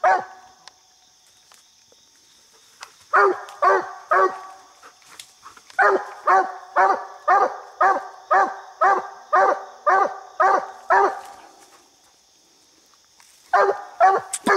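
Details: Treed coonhound Bandit barking at a raccoon up a small tree on a coon hunt; a quick run of about a dozen evenly spaced barks, about two per second, then a silent gap before more barks.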